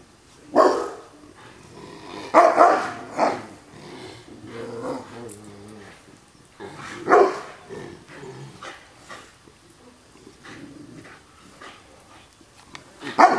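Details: Old dog named Bear, hackles up, barking at a young pup named Ivan who jumps around him; loud sharp barks in short bursts near the start, middle and end, with quieter growly sounds and scuffling between.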